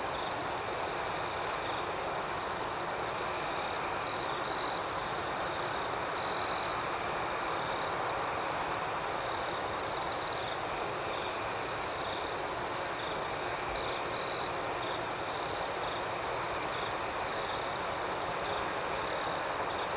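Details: Crickets calling at night in a steady, shrill chorus, high rapid pulses over a sustained ringing tone, with a louder, purer trill breaking through every few seconds.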